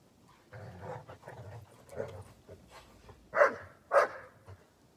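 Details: Dobermann playing in the snow: a few soft, muffled low vocal sounds, then two louder short barks near the end, about half a second apart.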